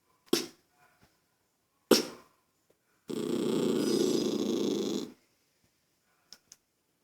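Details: A toy poodle annoyed by a child making noise gives a sustained, raspy growl of about two seconds, preceded by two sharp clicks and followed by quiet, with a woman speaking around it.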